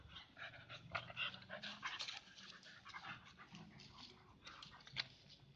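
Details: A Siberian husky facing a village dog gives harsh, breathy huffs and pants in quick, uneven bursts, broken by low, rumbling whine-growls, the two dogs' noises overlapping throughout.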